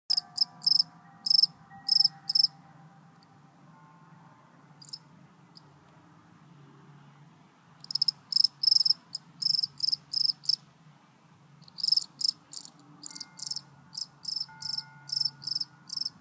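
A cricket chirps in quick bursts of high, shrill pulses, pausing between groups.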